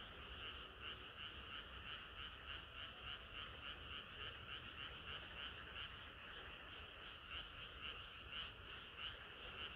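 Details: Frogs in full chorus on a hot summer night: overlapping croaks pulse steadily, with bright, clicking calls repeating roughly twice a second above a constant mid-pitched drone.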